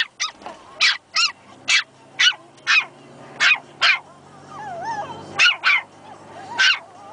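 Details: Young Pomeranian puppies, two of them, discovering their voices: a quick run of about ten shrill, bright yips spaced roughly half a second apart, with a wavering whine threading between the barks near the end.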